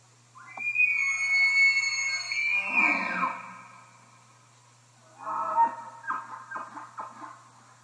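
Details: Bull elk bugling: a high whistled scream that rises and then holds, breaking into a lower rasp, then a second bout of short grunting, chuckling notes.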